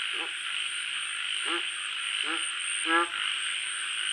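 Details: At night, a frog gives short, low, rattling croaks about once a second over a steady insect hum.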